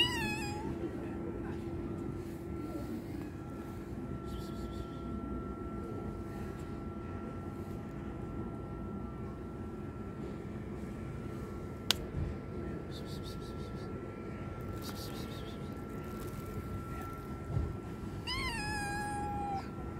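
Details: Homeless stray cats, a hungry kitten attacked by a strong male cat: a short harmonic meow opens, long quiet stretches with a steady low hum follow, then a second rising-falling meow near the end.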